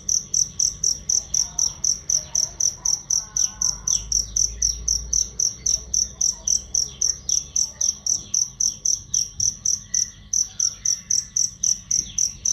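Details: Cricket chirps played as songbird training, loud and clear: high, piercing pulses at a regular rate of about four per second, with a soft low rumble and faint twitters mid-way.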